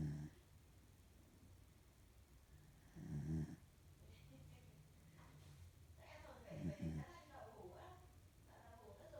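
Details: A sleeping female corgi, which snores a lot, snores in low, rumbling bursts about every three seconds, with soft human voices nearby.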